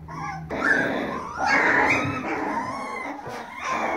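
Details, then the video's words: Baby Siberian Husky puppies howling as a litter: sustained, quavering, drawn-out cries blending into one continuous chorus, swelling and easing over a few seconds. "Siberian Huskies Howling"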